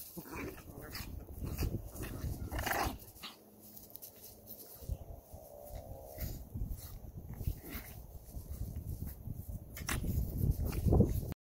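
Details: Two Chihuahuas play fighting and wrestling indoors: a steady run of low, rough rumbling growls and snuffling snorts in quick irregular bursts, with a few sharper yelps and a louder growl near the end.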